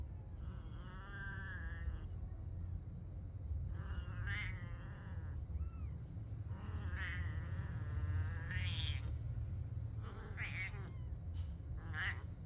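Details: Domestic cats, a mother and her kitten, playing together at night; a run of harmonic meows, some drawn out and wavering, others short and rising, comes every second or two over a steady low rumble and a constant high whine.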